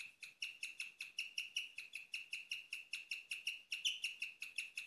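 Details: Nocturnal chirping from a female pet guinea pig, rarely heard: a continuous run of bird-like high chirps with ringing overtones, about three or four per second, steady loudness throughout.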